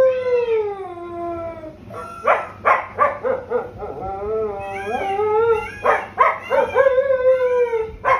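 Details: A Siberian Husky gives long, sliding howls that fall and then rise again, broken by a few sharp, harsh yelping bursts, howling in response to a peacock's call.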